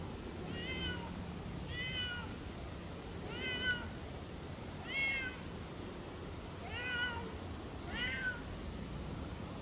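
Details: Off-leash Siamese cats Otani and Yozora howling and talking while exploring a small forest on a long walk; six clear, wavering meows, roughly every one and a half seconds, over a quiet outdoor background.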